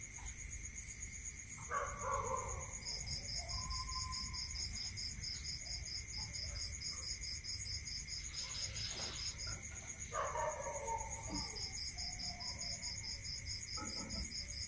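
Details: Rural night with crickets trilling without pause, with a string of evenly spaced high chirps that stops and starts again. Occasional lower animal calls and a short rustling burst near the middle.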